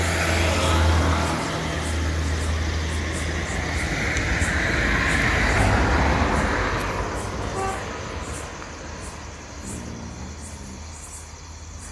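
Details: Steady road traffic and engine rumble with a passing vehicle; no animal voice stands out. A faint regular ticking sounds high above the broad roar of the street.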